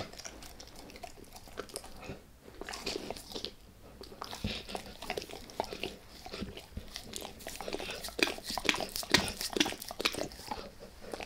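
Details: Max the dog gnawing on a beef rib: a steady run of crisp, irregular crunches and wet clicks, several per second, with brief quieter gaps between bursts of biting.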